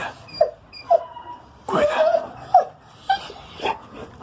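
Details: An 11-month-old Rottweiler on guard after hearing a strange noise gives short, high whimpering yelps, about six brief tonal cries spaced roughly half a second apart, with a longer wavering whine in the middle, indoors.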